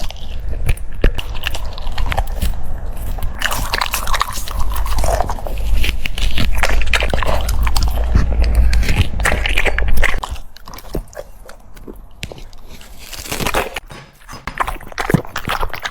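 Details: French Bulldog eating cucumbers, loud wet crunching and biting in quick irregular bursts for about ten seconds, then softer scattered chews with pauses, in a small indoor room.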